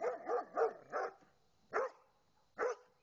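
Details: Doberman barking at a pair of swans: four quick rhythmic barks in a run, then two more single barks after short pauses, each bark full and rough-edged.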